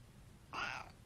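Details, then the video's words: Pet cat uttering a single short meow in a small room, a quick tonal cry under half a second, after its owner says it got the seafood delight instead of salmon. "talking cats"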